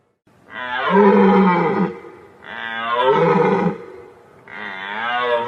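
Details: A deer calling: three long, loud, hoarse, moaning bellows rich in harmonics. Each lasts about one and a half seconds and they come roughly every two seconds, with the pitch sliding slightly down at the end. No other sounds are heard.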